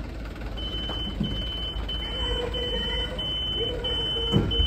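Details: A truck engine rumbles under a steady high electronic beep, with faint voices and no animal sound.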